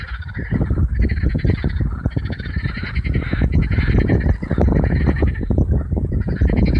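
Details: A huge gathering of marsh frogs, hundreds strong, on the Allhallows marshes, North Kent, one warm May evening in 2015: unbroken, crackling pulsed croaking from many callers layered over a low, booming background.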